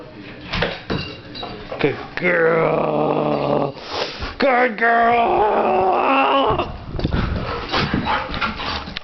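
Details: Female pet dog crying while ready to play, licking her lips at the same time: drawn-out, wavering whining cries in two long bouts, mixed with lip-smacking noises and short snuffly sounds indoors.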